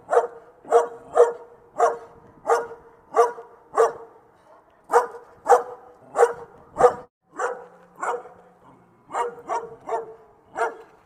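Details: Steady series of short, sharp dog barks, around twenty in eleven seconds, often paired in quick doubles, with brief pauses near the middle and a faint low hum during one gap.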